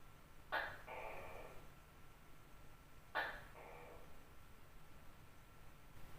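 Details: Large tokay gecko calling at night: two faint two-part calls, a sharp click-like onset followed by a short nasal syllable, about two and a half seconds apart, over steady low background hum.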